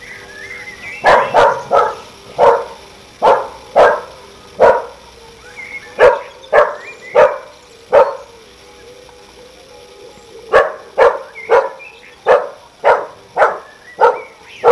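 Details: A neighbour's dog that barks at everything, heard on a summer evening. It gives rapid runs of barks, roughly two per second, in two long bouts with a brief pause between. Faint bird whistles sound underneath.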